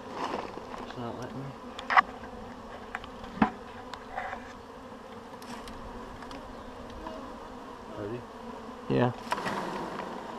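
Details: A honeybee swarm shaken into a hive: a continuous dense drone of wingbeats, broken by sharp knocks and bumps against wood and brief human voices.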